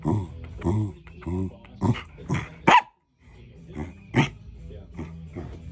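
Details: A hungry Corgi well past dinner time, giving a run of short harmonic barks and yelps, rising to a sharp loud bark, then a short pause and further barks, with some speech.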